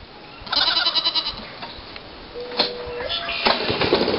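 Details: Goats during daily displays of male machismo, one giving a loud wavering bleat with rapid pulsing tremolo, followed by a steady whistled tone, over constant rough background noise.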